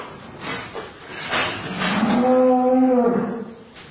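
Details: Cattle during calving, a cow giving a low drawn-out moo with a rising then steady tone for about a second and a half, preceded by rustling and handling noises indoors.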